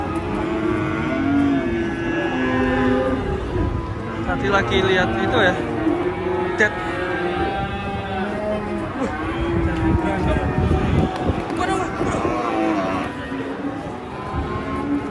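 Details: Restless cattle coming down off a truck low repeatedly. Drawn-out, wavering moos overlap one another throughout, with shouting voices, a crowd and engine rumble behind.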